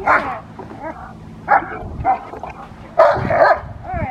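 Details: Rottweiler Magda vd Fehn Kolonie, BH in protection training: short, harsh barks burst out at the start, near one and a half and two seconds, then a longer rough volley around three seconds, with a handler's voice between.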